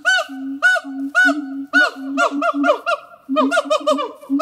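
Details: Two captive siamang gibbons singing at Zoo de La Fleche on a hot summer morning, 6 August 2018: a rapid series of loud, arching, bark-like notes over short low booming tones, accelerating into overlapping bursts toward the end.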